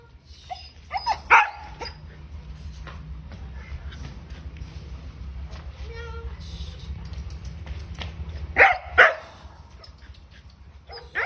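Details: A 4-month-old German Shepherd puppy gives sharp, high barks in short bursts, with quieter sounds between them.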